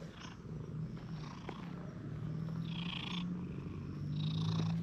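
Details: Stray park cats, a cuddly brown-and-white cat and a plump brown tabby that wanders over during play, give a deep continuous purr that grows louder toward the end, with brief high chirps in the background.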